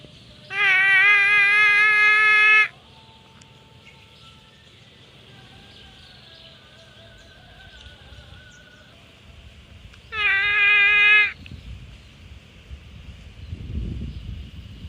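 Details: Grazing water buffalo herd: a long, nasal bleating call of about two seconds, then a quieter stretch with faint calls from other animals, then a second, shorter bleat around ten seconds, over a steady high background hiss.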